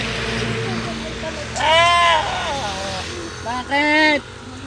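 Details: Domestic goats kept by their owners, described as harmless: two loud, wavering, harmonic bleats about two seconds apart over steady engine hum and murmured talk.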